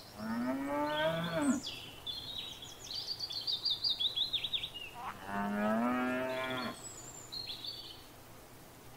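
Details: {'caption': 'Grazing cattle in a paddock give two drawn-out moos, the first falling and the second rising and steady, about five seconds apart, while busy high twittering birds sing in between.'}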